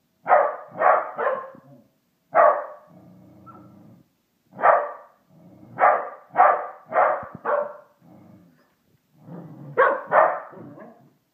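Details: Pet Pembroke Welsh Corgi staring and barking at a Christmas toy put up indoors; sharp, mid-pitched barks in quick clusters of two or three, about a dozen in all, with low grumbling between bursts.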